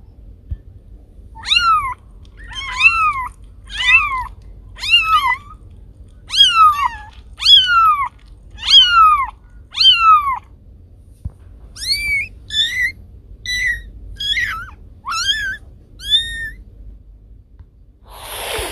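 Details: Meowing cat, its voice said to repel rats: a steady series of about fourteen short, clear meows, about one a second, with a brief pause midway, closing with a rustling noise.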